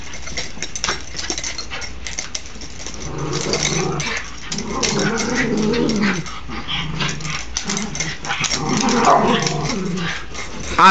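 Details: Dogs play-wrestling, one called Oscar, recorded on an Android phone: rough scuffling gives way to low, rumbling growls from about three to nine seconds, with snarly bursts and a woman's voice mixed in.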